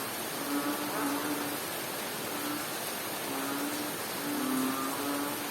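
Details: Frog calling during rain in Bohol, Philippines: low, steady droning notes in short bursts of about half a second to a second, repeated irregularly, under a constant loud hiss of rainfall.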